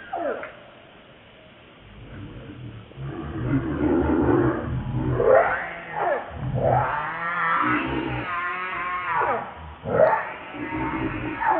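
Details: ['Lucie, a baby monkey, gives loud, quavering wails that rise and fall. A sustained, strained cry comes in the middle, and a short squeal follows, over a low background hum and rustling.']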